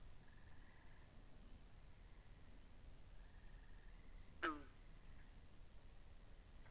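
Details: Frogs by the pond, recorded binaurally: two faint level pulsed trills drift in and out before one sudden, loud call drops sharply in pitch, all against a quiet low hum.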